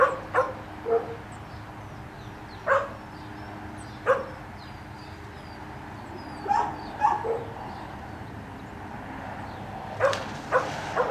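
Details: Five-month-old puppy yipping and barking beside a black Labrador Retriever doing a water double retrieve in training, sharp single and paired barks spaced a few seconds apart over outdoor background noise.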